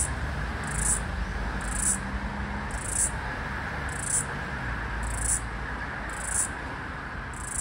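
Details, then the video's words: Last floury baker cicada of the Australian summer of 2022/2023, trying to sync with another cicada across a busy street; bright buzzy bursts roughly every 0.8 seconds above a constant road-noise drone. "Floury Baker - Last Cicada of Summer - Zoomed-in (Aleeta curvicosta)"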